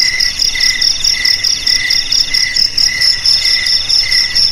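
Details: Cricket chirping used to scare rats from home and field: short bursts of high trilling about twice a second, riding over a continuous shimmering ringing tone.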